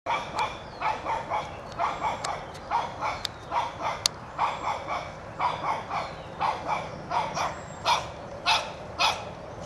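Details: A one-year-old Shih Tzu puppy named Toby barks at a whitetail deer, trying to chase it from his yard; sharp, high barks come in quick, steady bursts, roughly two or three a second, over a low outdoor hum.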